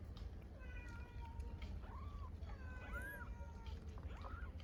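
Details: Hungry stray kittens in Istanbul meowing for their mother cat; several thin, arched high meows, some short and rising-falling, heard amid constant low street rumble and faint voices.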